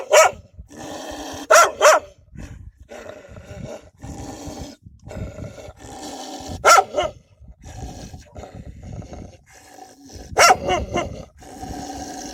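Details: Protective wild dogs guarding their pups, with loud barks coming sparsely: a quick burst of three, then isolated single barks several seconds apart over a continuous noisy background.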